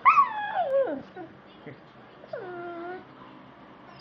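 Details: Sam, a pet beagle watching Animal Planet on TV, gives a loud high yip sliding steeply down into a whimper, then a quieter steady whine after a pause; a person speaks faintly nearby.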